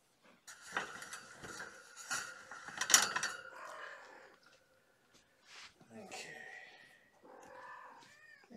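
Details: Kittens from Mama Gamora's litter of five, born April 14th, at bedtime lap and play time indoors: thin, high mews, closing with a rising, wavering call, over soft human speech and rustling.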